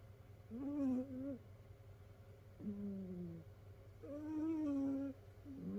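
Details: Domestic cat snoring in its sleep, one of several rescued cats piled together indoors; four drawn-out whistling snores, each about a second long, wavering then sliding downward, with a constant low hum underneath.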